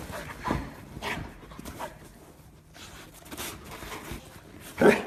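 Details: Puppies from a funny compilation featuring golden retriever, husky and pomeranian dogs; several short soft barks or yips spaced about half a second to a second apart, with a louder burst near the end over quiet indoor background.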